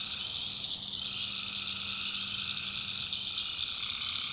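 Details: Night chorus of tree frogs in a North Carolina backwoods swamp, a steady wall of high, shrill trilling from many callers, with a middle band of calls fading in and out and a low drone beneath.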